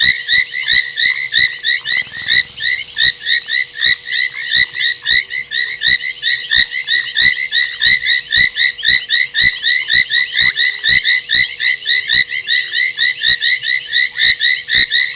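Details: At 23:46 on 30 January 2021, foam nest tree frogs fill the Gowrie dam waterhole on Djuma Game Reserve, South Africa, with an unbroken wall of raspy, squeaky croaks, cut by regular sharp ticking clicks about four times a second.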